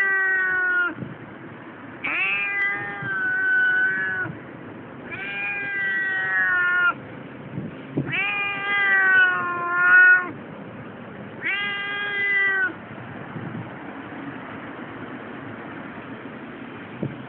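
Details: Keiko, a Siamese cat, protesting at a tram station on the way to her annual vet check: five long, drawn-out, harmonic-rich meows, each about one to two seconds, separated by short pauses over a low background hum.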